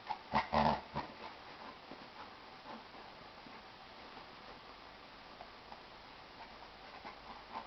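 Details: Two dogs at play, a Jack Russell Terrier puppy with a 95-pound Chesapeake Bay Retriever; a quick pair of strong growling, whimpering bursts at the start, followed by faint breathing and soft shuffling in a quiet room.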